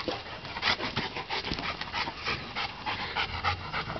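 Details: Two dogs, Hula and Ola'a, playing in a backyard; rapid breathy panting bursts, roughly three per second, noisy and unvoiced, with occasional scuffling.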